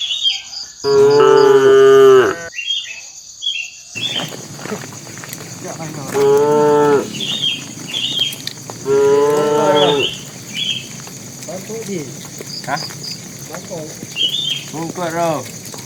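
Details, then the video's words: Tame bull walking toward the pen, lowing to call the cows: three long, deep, harmonic moos about three to four seconds apart, with softer calls between and a steady insect trill and short chirps behind. "suara sapi jantan memanggil betina"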